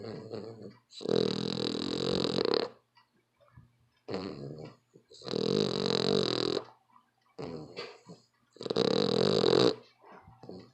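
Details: Dog snoring loudly indoors: long rasping breaths of about one and a half seconds, returning every three to four seconds with quiet pauses between them.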